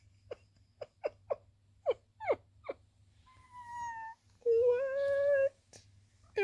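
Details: A tabby cat named Sweet Pea, chatty while posing and cleaning, gives a run of short squeaky chirps, then two longer tonal meows, the second louder and steady, with a faint low hum underneath.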